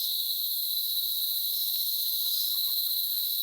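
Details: Countryside cicadas in trees in the Dominican Republic giving a steady, shrill, sustained buzz that holds one even pitch without pause, with faint scattered clicks beneath.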